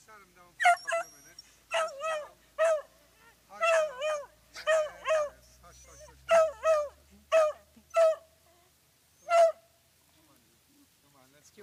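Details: A female beagle barks repeatedly in sharp, yelping bursts on a walk, anxious after her handler stands up from sitting with the dogs, a new situation; another beagle sits facing away nearby.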